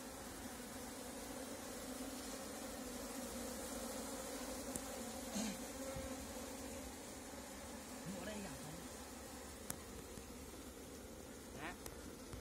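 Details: Continuous low humming drone of an Asian honey bee swarm, Apis cerana, during capture with a bee cap, with a few brief clicks and short rising squeaky sounds scattered over the steady buzzing.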